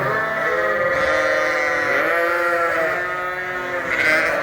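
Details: Hungry sheep and lambs indoors on a farm during a winter storm, loudly calling for food at feeding time; many overlapping wavering bleats form a dense continuous chorus with no pauses.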